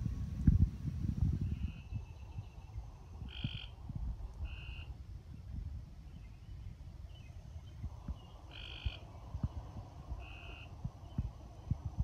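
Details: Frogs at night in Oak Ridge, Tennessee, heard during a quiet frog-catching search; short clear tonal chirps with ringing overtones come singly at irregular gaps, about five in twelve seconds, over low rustling and footsteps.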